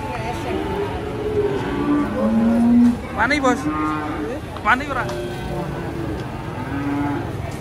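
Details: Cattle being loaded onto a truck, giving long, drawn-out moos that hold steady and dip slightly, repeated a few times. Short sharp bursts, background music and a loud, busy setting are also heard.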